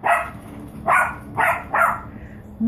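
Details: Louis, a 14-week-old Shih Tzu puppy, plays with a basketball that scared him at first; four short, sharp barks burst out, the last three following each other within about a second, then a brief rising yelp at the end.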